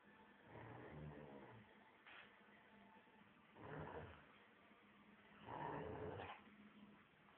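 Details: Thai Ridgeback dog reacting to its own reflection in a mirror, giving three low rumbling growl bursts of about a second each, separated by quieter pauses, indoors.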